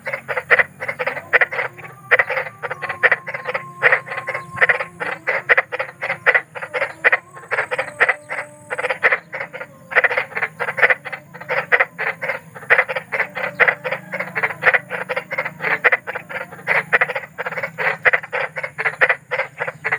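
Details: Big frogs croaking at night in the wild, a long unbroken series of rapid rasping pulses, several every second, with faint tonal whines and a low hum in the background.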